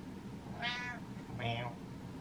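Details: Impatient house cat Butters, sick of waiting, lets out one bright, strained meow, quickly followed by a man's deep voice mimicking it back in a small indoor room.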